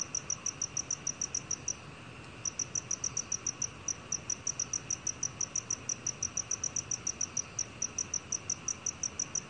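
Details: A black cricket chirps in rapid, sharp, high notes, pauses for about half a second near two seconds, then continues the quick even pulse train to the end, soft hiss underneath.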